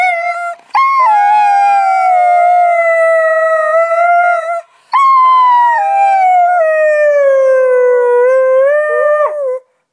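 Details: Delta, a pet Husky, howls on 25 Nov 2010 while her owner encourages her to sing: two long, steady, tonal howls that dip slightly and glide lower, with a brief break between them.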